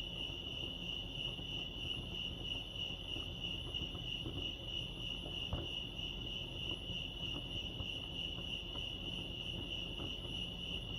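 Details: Crickets chirping at Lake Arrowhead, California: a steady, unbroken high-pitched shimmer of rapid pulses holding one even pitch throughout, over a soft low background rumble with a brief faint knock near the middle.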